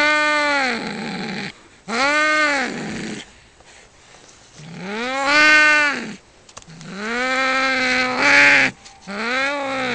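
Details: Pair of male cats fighting for territory beside a house: repeated arched yowls about every two seconds, some sliding and wavering, one breaking into a harsher screech near the end.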